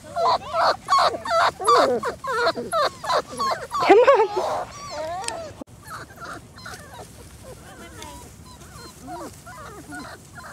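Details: Litter of 4-week-old German Shorthaired Pointer puppies on their first time outside, giving a busy run of high, wavering whimpers and yips, several per second, loud at first then fading. Women's voices talk over them.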